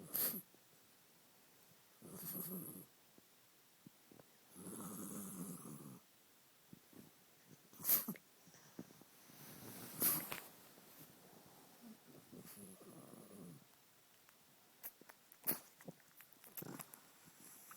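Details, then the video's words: Senior pug with a terrible cough: snorting, wheezy breaths and gagging bursts scattered over the stretch, some drawn out for a second or more, with brief sharp clicks between. "Coughing pug"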